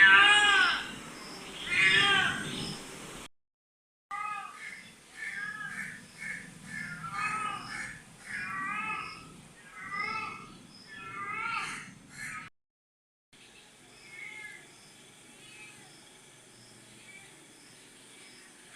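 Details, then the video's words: Small domestic cat in heat calling indoors: a series of wavering, harmonic yowls, two longer ones first, then shorter calls about every second or two, with short silent gaps between sections and faint household noise. "My cute little cat is in heat"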